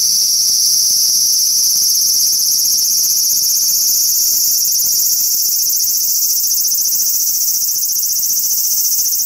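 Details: Large brown cicada on a park cherry tree, giving an unbroken, harsh sizzling buzz that stays loud and even across the whole stretch, with a faint thin tone running beneath it.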